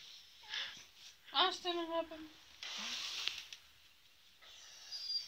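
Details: Angry adult female beagle, teased, gives a short, wavering, harmonic grumbling moan lasting under a second, amid breathy hiss and rustling.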